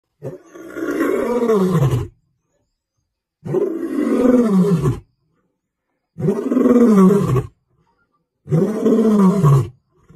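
A lion gives deep, groaning roars, each about one and a half seconds long, repeated with short pauses.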